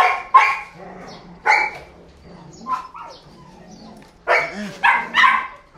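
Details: Belgian Malinois female giving loud, harsh single and paired barks spaced over a few seconds, with a softer yelp in the middle and a faint whine near the end.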